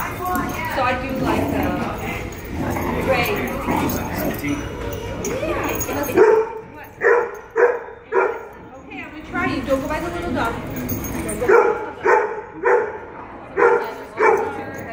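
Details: A 3½-month-old Dogo Argentino puppy play-fighting with a 7-month-old pitbull puppy. Rough, muffled growls and scuffling give way to short, punchy barks and yips about once a second in the second half, with people talking throughout.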